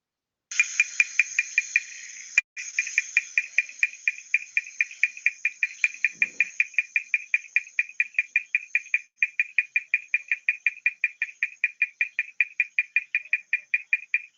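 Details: Kudremukh bush frog from the Western Ghats, a male calling with its vocal sac to attract a female ahead of amplexus: a long run of sharp, clicky, cricket-like pulses, about three to four per second, with a brief break early on.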